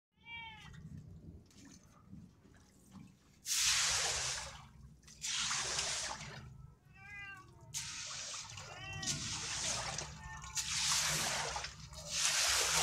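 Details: Cats on a waterlogged roof being cleared of water: short arched meows, one at the start and a small cluster near the middle, come between loud repeated bursts of splashing, swept water and low background rumble.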